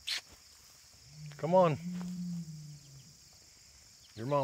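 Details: Young bull calf near a white oak on August 31, 2023, urged toward its mother to nurse, gives a low sustained moo with a brief swelling bawl in the middle and another at the end; a man talks and the calf stirs nearby.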